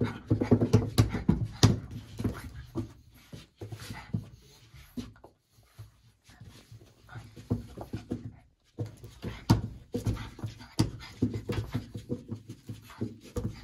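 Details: Tory, a very playful French Bulldog, snatching at fingers in a small room: rapid throaty grunts, snorts and panting huffs, with a few faint whimpers, a quiet pause midway, then another burst of snuffling play noises.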